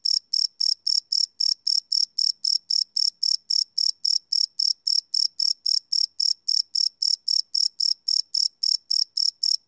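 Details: Live night recording of crickets made with a Sony PCM D100: a continuous, rapid series of piercing chirps, close to four per second, steady throughout with no other noise.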